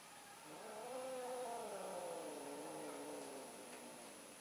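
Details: Domestic cats mating, an orange cat trying again: a low, moaning yowl that swells and slowly falls over several seconds, steady and drawn out against faint background hiss.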